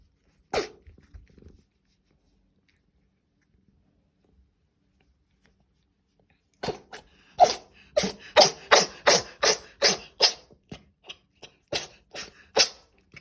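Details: Bree, a British Shorthair cat being stroked, gives one sharp, noisy sneeze. After a long quiet pause comes a rapid run of about a dozen short, explosive sneeze-like bursts, roughly two or three per second, in a quiet room.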